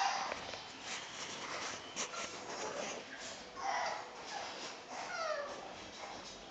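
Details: A newborn female brindle piebald French Bulldog puppy gives thin, wavering whines that rise and fall over a soft background hiss.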